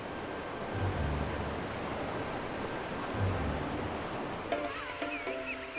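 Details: Steady rushing surf or wind with low rumbles, then soft tonal music entering near the end; no animal calls stand out.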